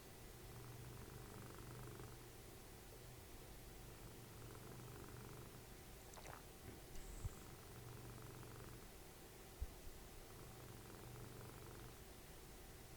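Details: Soft, low snoring from Dessie, a cuddly cat and mother of Fritjof, while cuddling in front of the TV: gentle rumbling breaths about every three seconds, with a faint squeak and a few small clicks in between.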